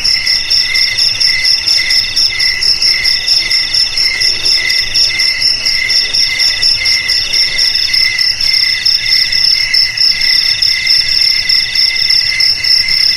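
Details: Crickets keep up an unbroken shrill trill, stacked high tones pulsing in a fast, slightly uneven chirping rhythm that stays constant throughout.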